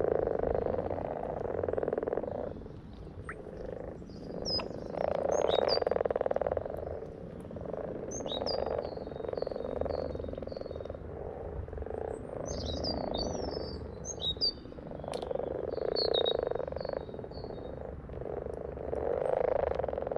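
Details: Frogs calling together in a dense chorus, a steady pulsing croak centred low-mid with swelling waves of loudness; higher chirping notes overlaid in short bursts, possibly other frogs or birds.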